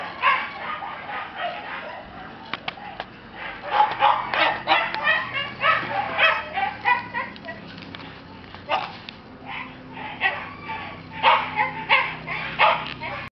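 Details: Red Shiba Inu male puppy from a breeder's kennel, giving short high yips and barks in irregular bursts, roughly one or two per second, with brief pauses between runs.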